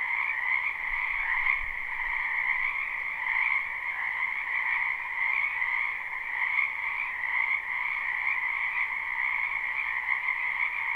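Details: Many frogs croaking in a spring wetland behind a house, live recording without looping: a dense, unbroken chorus of trilled calls blending into a steady shimmering drone, with soft rumbles near the start.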